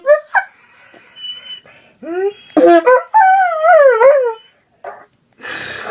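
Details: Pet dog howls along as its owner plays music: a few short yelps, then long whining howls sliding up and down in pitch with a wavering, sing-song quality, ending in a breathy noise.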